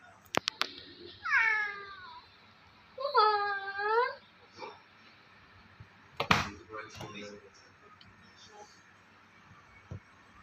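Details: Pet cat making odd, playful sounds indoors: two drawn-out wavering meows, the second longer with a rising then falling tone, followed by clicks, a thump and a brief voice.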